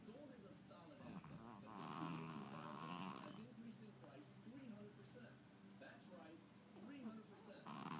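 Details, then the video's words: Chihuahua Tubby asleep, snoring softly: a grating, buzzing inhale of about a second and a half, then quieter wheezy breaths and the start of another snore at the end. "Snoring Chihuahua in stereo..."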